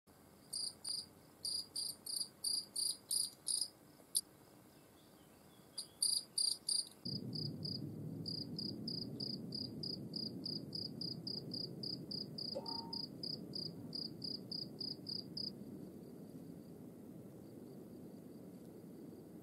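A European field cricket sings clear, high chirps, about three every second, in steady rhythm.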